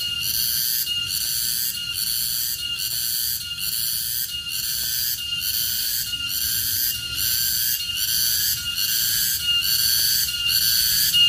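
A garengpung cicada gives a loud, high, rasping buzz that pulses in regular bursts under a second apart.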